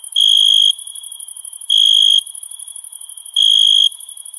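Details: Night-time summer crickets giving three pulsed, ringing chirps, each roughly half a second, spaced about 1.7 seconds apart, with a continuous high shimmering insect drone beneath.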